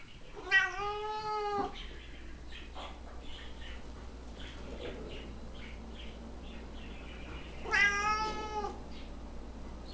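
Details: Domestic cat whining indoors: two long, drawn-out meows with rich harmonics, one near the start and one about seven seconds later, separated by quiet shuffling; a person's voice asks what the kitty wants.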